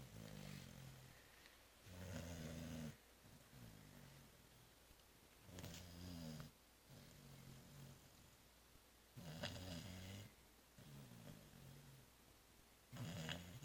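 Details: After Christmas Eve festivities and a Christmas brunch, the cat Zoé lies out cold, giving soft, buzzy low snores indoors. They come in bursts every one to three seconds, some longer and rougher, with a faint hiss between breaths.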